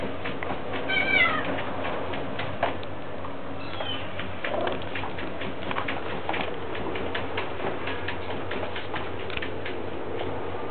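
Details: Mother cat with her kittens, nuzzling and kissing her babies: a few short, thin, high mews near the start and middle, amid soft rustling and shuffling noises in an indoor setting.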